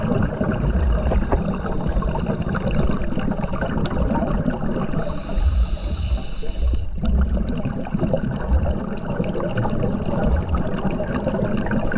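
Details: Underwater dive ambience with steady low rumbling water noise and a brief high hiss midway, no animal calls heard.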